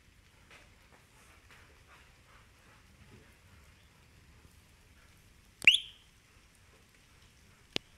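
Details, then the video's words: A frog, an animal at first mistaken for a bird and described as whistling and singing, gives one sharp, high whistled chirp over a quiet background, followed by a short click. "sonido del animal (silva, chilfla,canta) Es una RANA"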